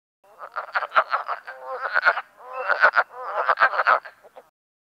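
A chorus of wood frogs produces hoarse, clucking notes that sound much like a duck quacking, delivered in quick, uneven runs. Males give these calls to announce their territory at the breeding pool.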